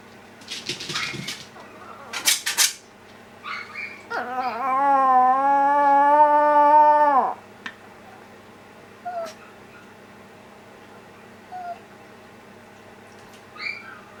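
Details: Older sister dog in a household of a Yorkshire terrier and a Maltese howls back at the younger dog's cry: a loud, steady, harmonic howl held about three seconds, cut off abruptly, preceded by short yips and followed by faint squeaks.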